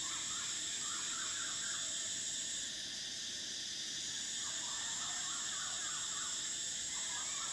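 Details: High, even droning of summer cicadas fills the whole stretch, its pitch dipping briefly near the middle, while quiet wavering chirps come and go beneath it.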